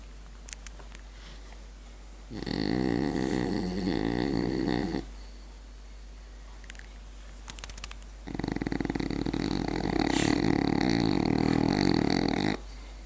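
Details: Sleeping French bulldog snoring in two long rasping, buzzy bursts separated by a quiet pause, a few faint clicks between them.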